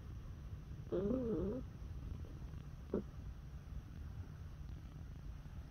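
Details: Neutered male house cat, born September 2017, calling out when touched: a wavering, warbling meow-like trill lasting about half a second, then one brief chirp a couple of seconds later, over a steady low rumble.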